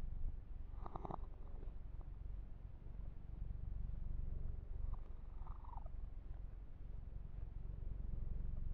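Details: Massaged kitten Yumak keeps up a smooth, low purr, with a short brighter squeaky rub around the first second and another faint one midway, over quiet stroking of fur.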